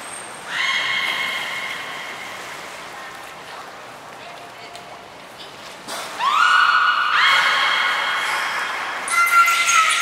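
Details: Beluga whales Nana and Niko during a training session at Port of Nagoya Public Aquarium, 7 October 2018: two long, harmonic-rich tonal calls, each opening with a quick upward sweep and then held steady, with a thin high whistle note near the start.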